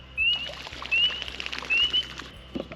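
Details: Spring peepers give short, high, rising whistled peeps, repeated constantly under a steady patter of rain before sunrise at a lake in early spring; they love the rain.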